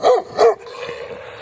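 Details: Domestic dog barking at a passer-by on a walk beside fields: two short, loud barks about a third of a second apart, then quieter background.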